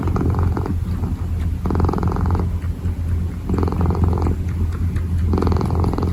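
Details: Kitten purring while kneading: a steady low rumble with louder, brighter swells about every two seconds as each breath cycles, four swells in all, close and clear.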